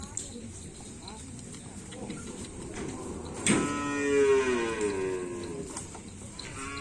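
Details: Cattle kept by a karapan sapi bull-racing team in Indonesia: a sudden knock, then one long, bending moo lasting about a second and a half over a bed of music and faint voices.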